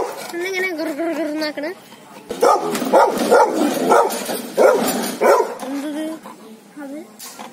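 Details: Labrador and Rottweiler guard dogs in an aggressive mood: a person talks first, then a burst of rapid, rough barks in quick succession, followed by more speech.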